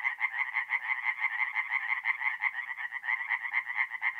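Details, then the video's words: Singing tree frogs at a north-east Italian forest pond on an April night, a loud continuous train of harsh, quick pulsed croaks from several frogs, about two per second with no other sounds. "relaxing forest pond by night with singing tree frogs"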